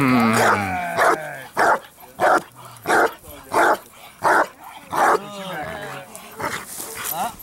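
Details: A 4.5-year-old Bandog training to build up strong barks gives seven loud, evenly spaced barks about every two-thirds of a second, then the barking fades into quieter panting and whining.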